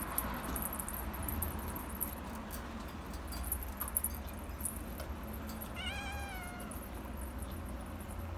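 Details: An orange Himalayan cat lets out one short, clear meow near the end, bending downward at the close, after several seconds of quiet indoor hum and light rustling.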